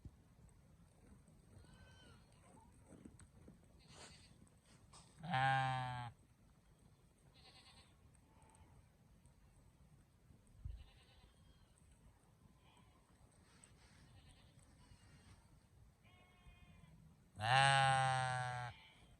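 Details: Sheep and a lamb bleating: two loud, harsh, richly harmonic baas, each lasting about a second and spaced roughly twelve seconds apart, with fainter, shorter bleats and murmurs scattered between them over a quiet background.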